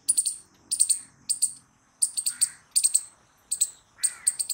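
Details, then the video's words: Squirrel making loud, shrill chirps grouped in threes, each burst repeated roughly every three quarters of a second, with faint lower sounds underneath. "Squirrel Noises Loud | Squirrel Sound"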